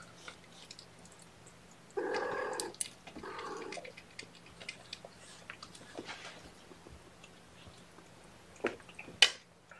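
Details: Kittens at a morning syringe feeding of formula on 8 May 2018, indoors: two short, mid-pitched meows about a second apart, followed by soft clicks, rustling and handling noises, with a low steady hum throughout.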